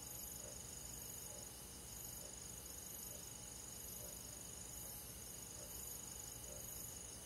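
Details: Night forest crickets in the countryside in midsummer: a bright, high, continuous trill overlaid with evenly spaced soft chirp pulses, roughly two per second, over gentle low background noise.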